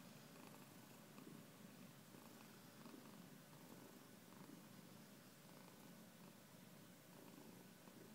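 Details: Pet cat giving a sustained, even purr, the low throbbing rumble unbroken for about eight seconds, close to the microphone over faint room hiss.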